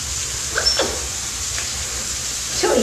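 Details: A male African clawless otter at an aquarium gives short, high, descending whines during the keeper's morning cleaning, affectionately soliciting attention; such frequent calling is unusual for this normally quiet species.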